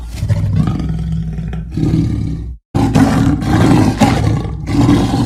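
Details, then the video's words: Leopard rumbling in a heavy, low-pitched growl that pulses unevenly, broken by a sudden brief silence midway before the coarse, engine-like drone resumes louder. "The sound of the leopard is like a large displacement engine"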